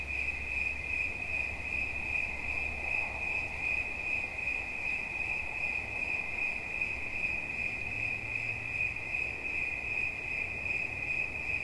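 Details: Cricket giving an unbroken, shrill pulsed trill at a constant high pitch, accompanied by a soft low drone of distant background noise.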